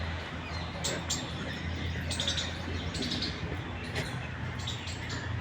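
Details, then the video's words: A squirrel gives sharp, high chipping calls in short bursts in a park around 8 a.m. on a sunny morning, with birds mostly quiet, a woman talking, and low wind rumble under cool breezes. "सुनाई दे रही है आपको गिलहरी की आवाज अभी पंछी ज्यादा नहीं बोल रहा अभी गिलहरी बोल रही"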